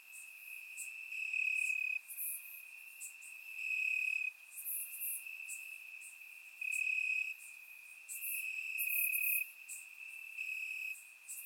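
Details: Grass crickets on a warm Bulgarian summer night, surround-recorded, keep up a piercing steady trill; louder chirp bursts recur every couple of seconds while brief high clicks sparkle over the top.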